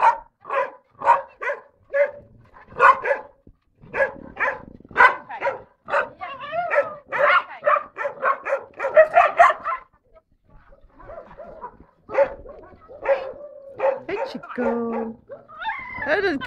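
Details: Chico, an eight-year-old castrated male dog, shy, barking within the group to let them know he's there: quick sharp barks about twice a second, a quieter stretch midway, then more barks and a rising whine at the end.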